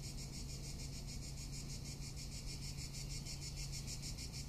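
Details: In Tuscany in summer, cicadas keep up a loud high buzzing that pulses quickly and rhythmically, over low background hum.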